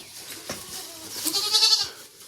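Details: Goat kids just born, four from one delivery on a farm about half an hour before; a single thin, drawn-out bleat rising from soft background noise, with a faint man's voice nearby.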